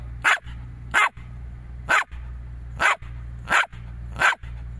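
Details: Jack Russell Terrier indoors with people speaking Latvian, barking sharply six times at roughly regular intervals of under a second, each bark short and loud over a steady low hum.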